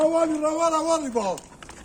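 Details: Cow that has recently calved, sent off to Manisa with blessings: one drawn-out, steady tonal moo that falls in pitch at its end, with men talking nearby.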